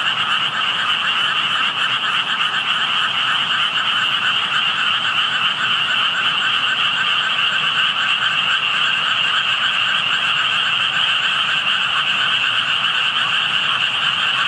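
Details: An unseen group of frogs calling beside a spot with visible tadpoles; a thick, constant chorus of rapid pulsing croaks blends into a buzzing wall of sound at two pitch levels, never easing.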